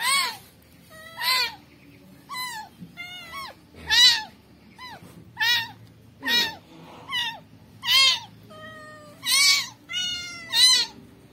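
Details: Rescued kitten meowing repeatedly indoors, about ten rising-falling high-pitched mews spaced roughly one second apart, each with clear harmonics, over faint background hum.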